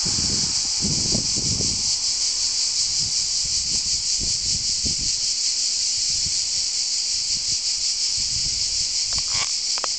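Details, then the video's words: Cicadas on Vir island fill the air with a steady, high, hissing buzz that never lets up. "Kabócák Vir szigeten"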